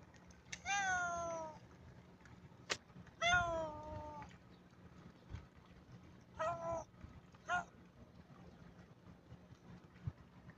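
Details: Kittens meowing indoors: two long, falling meows with bright overtones, then two shorter, higher mews later, spaced by quiet pauses over a faint low hum.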